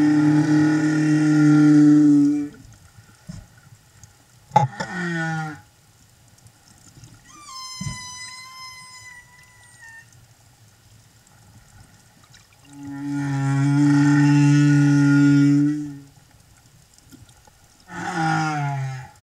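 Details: Singing escort humpback whale beside a mother and calf, Silver Bank, Dominican Republic, in April 2015: deep, buzzy harmonic moans of two to three seconds, a thin wavering high whistle between them, and a low rumble underneath.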